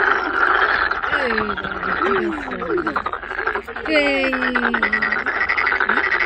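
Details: A noisy chorus of many toads at Sangdang Fortress, Cheongju, where large numbers of toads and toad tadpoles gather: many voices overlapping in a dense, continuous croaking din.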